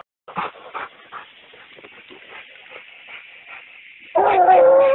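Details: A Treeing Walker Coonhound pup, out of Thousand Dollar Bill x Why Not Dena and getting in shape for fall, shows off an angry-sounding tree mouth: a string of sharp barks ending in a long, loud bawling howl.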